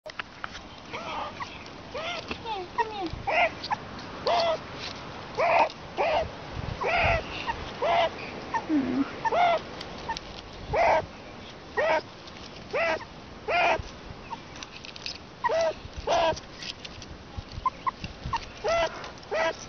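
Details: Two rescued meerkats, usually unfriendly, give quick, repeated high chirps and squeaky peeps while begging for attention.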